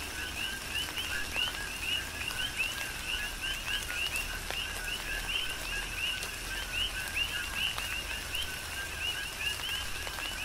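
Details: A rhythmic chorus of coqui frogs on Hawaii's Big Island during a tropical rain shower, numerous short upswept calls overlapping steadily throughout, with soft rain noise and dripping water underneath.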